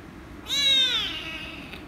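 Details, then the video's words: Angry rescue kitten meowing loudly when petted: one bright, high meow that starts abruptly, holds strong, then slides downward and fades, over quiet indoor background. "The Rescue Kitten Angry And Meowing Loudly If I Pet Her"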